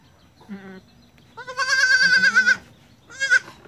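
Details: Young goat kids born at dusk on 1 January 2019, learning to walk; a short bleat, then a long quavering bleat lasting about a second, followed by a brief higher-pitched bleat.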